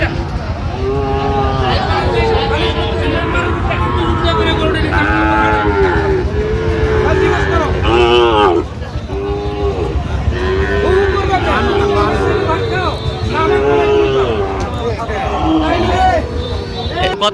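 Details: Cattle lowing at a Manikganj, Bangladesh market where a farmer buys a Sahiwal bull in late January: repeated short mooing bursts rise and fall across the stretch, mixed with constant human chatter and passing traffic.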